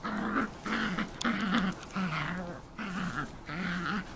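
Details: Shetland Sheepdog puppy Rhea, eleven weeks old, playing with a toy indoors; low rumbling growls in short bursts with brief pauses between them, a small room around her.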